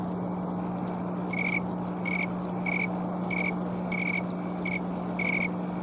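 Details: A green tree cricket (Oecanthus fultoni), a tree- and shrub-dwelling species, sings on a Colorado afternoon on October 11, 2022, late in the season, with short, pure, musical chirps repeated about every half second.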